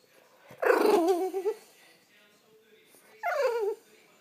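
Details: French Bulldog whining to wake its owner: a loud, drawn-out wavering whine lasting almost a second with strong harmonics, then after a pause a second shorter wobbling whine; quiet indoor background.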